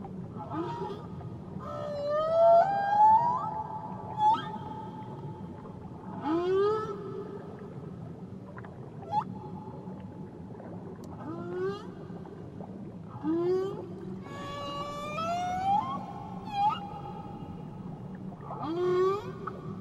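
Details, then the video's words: Whale song from Tahiti: repeated phrases of rising upswept cries and long tonal moans, some harmonically rich squeals, recurring every few seconds, set against a gentle low underwater rumble. "Nature Sounds Only Whales & Beaches"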